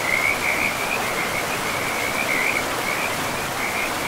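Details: By a river in a pristine forest, frogs keep up a fast, high trilling chorus, pulses blurring into one ringing band with brief louder bursts, set against a constant hiss of running water.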